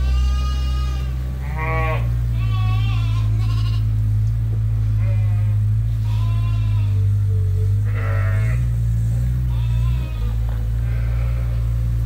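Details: Groups of sheep at Ewetopia Farms calling while awaiting their feed. A busy chorus of overlapping, vibrating bleats, several voices repeating every second or so, with a continuous low machine drone underneath.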